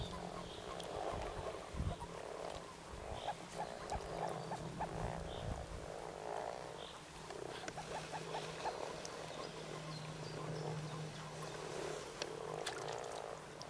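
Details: At Kassinurme on 25 April 2011, mating-season frogs croak in rhythmic, purring pulses roughly every half second to second, over a low droning hum with occasional knocks and faint distant birds.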